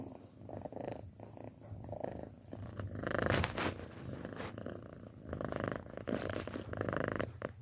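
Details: Purring from a six-month-old house cat: a continuous low vibrating rumble rising and falling with each breath, slightly louder in the middle, with some breathy hiss on top.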